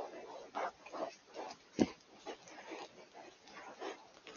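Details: Wild boar grunting in the Eifel forest, early October 2024, recorded on a Coolifepro PH960W: rough, mid-pitched grunts follow each other closely, with one sharper, louder snort near the middle.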